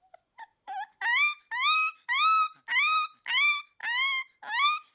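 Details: Akita puppy crying: a steady series of high, whining cries, each rising then falling slightly, repeated about twice a second after a few faint opening squeaks.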